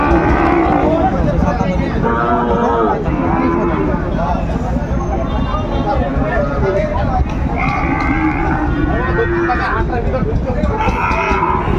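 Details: Sahiwal bull calves for sale at Ambari cattle market, Dinajpur, Bangladesh, 28 March 2025: several short lowing moos repeat at irregular intervals through the clip amid steady crowd talk and price bargaining.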